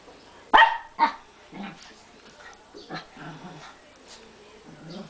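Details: Barley the Brussels Griffon barks twice in quick succession, half a second apart, loud and sharp, then a person speaks softly while small muffled sounds follow in a home setting.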